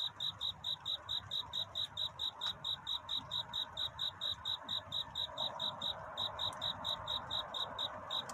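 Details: A night cricket calling for a mate before dawn: regular bright chirps at about four per second, evenly spaced, with a few brief clicks and gentle broadband background noise.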